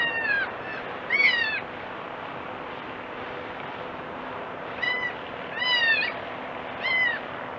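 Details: Young goat kid crying: five or six high, wavering bleats with rich overtones, each under half a second, most sliding downward, coming in uneven bursts over a constant broadband hiss.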